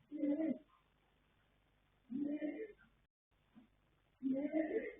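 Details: Sleeping colt foal Yanta, born 21 January 2026 to sire Fast Force and dam Pink Blossom, snoring: three soft, rasping breaths roughly two seconds apart over a faint steady hum.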